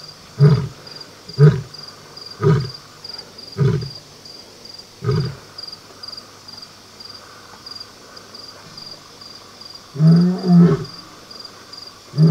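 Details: In southern Africa, a lioness and a lion roar at night before a hunt: deep, grunting roars about once a second that fade, then a louder pair, with crickets chirring steadily throughout.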